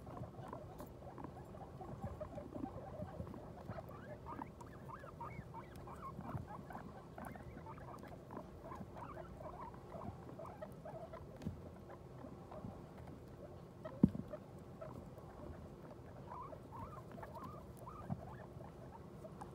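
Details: Guinea pig family right after a New Year birth; low-volume squeaks patter along in uneven clusters, with steady rustling, one sharp knock around the middle and low hum behind.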